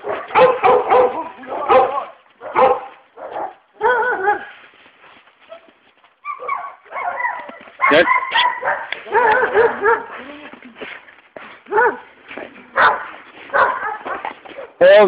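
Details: Anatolian Shepherd Dog puppies in Kastamonu, Turkey: bursts of high yelping and whimpering cries, often overlapping, with short pauses between clusters; people talk and laugh nearby.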